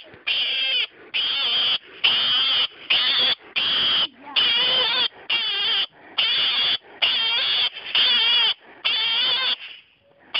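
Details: Hedgehog screaming while stuck in a grid, later rescued unharmed; loud, shrill, wavering screams in about a dozen bursts of roughly half a second each, separated by short gaps, high-pitched and harsh with a trembling quality.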